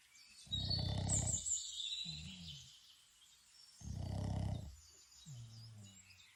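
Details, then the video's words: Toby, a Boston Terrier, snoring while sleeping outdoors in Ireland: deep rasping inhaled snores with softer wheezy exhales, two cycles about three seconds apart, while wild birds chirp and twitter in the background. "My dog snoring outdoor | Boston Terrier"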